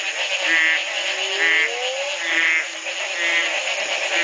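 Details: Many frogs in Belize, Community Baboon Sanctuary, 2010, the morning after the first night of rain following a three-month drought; rising drawn-out croaks and brief ringing notes recurring roughly every second against a continuous high-pitched chorus.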